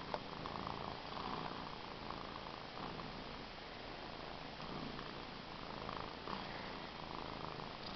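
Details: Purring cat called Cookie: a constant low vibrating rumble lasting the whole stretch, with a brief tap at the start and no other sounds intruding.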